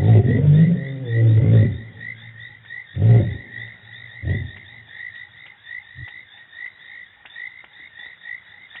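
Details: Lions roar at Djuma Game Reserve on 24 March 2018, deep rumbling bursts trailing off into shorter grunts over steady insect chirping.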